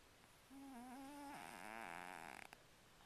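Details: A cat snoring really loud: one long wheezy breath holding a steady nasal tone, then sliding lower and turning raspier before a few fluttering clicks as it ends.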